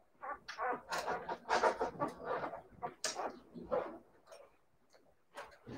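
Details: Siberian Husky puppies letting out a rapid string of quiet, breathy yips and barks, then trailing off into softer scattered sounds.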